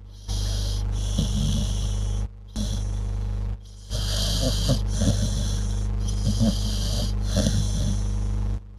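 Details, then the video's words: A sleeping dog snores almost continuously, with gravelly low rattles and snorting breaths repeating every second or so, broken by two brief pauses, over a background hum. "dog snoring"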